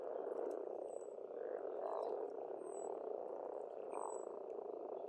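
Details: Spring frogs calling together at an Estonian farm pond: a steady, thick wall of croaks rising and falling, with several short high bird whistles repeated overhead.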